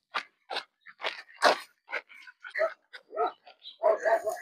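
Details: Canaan dogs barking: a quick run of short, sharp barks and yelps, roughly a dozen in four seconds, unevenly spaced, with people's voices talking close by.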